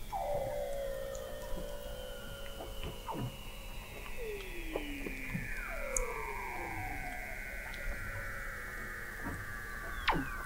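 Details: Weddell seals calling under thick sea ice at McMurdo Sound, Antarctica, picked up in November 2017 by an observatory 21 m below the ice: long descending glides and sweeping whistles layered over one another, with sharp clicks scattered between.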